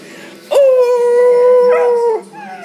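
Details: A dog baying indoors, inspired by a beagle baying on television: one long steady mournful tone held about one and a half seconds, nearly flat with slight waver, ending with a drop, after faint background voices.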